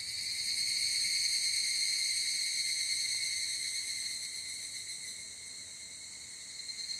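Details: Japanese evening cicadas (higurashi), field-recorded on a ZOOM F8n Pro with SCHOEPS microphones: an intense, steady, high-pitched ringing trill with quick regular pulsing, loudest early then slowly softening toward the close.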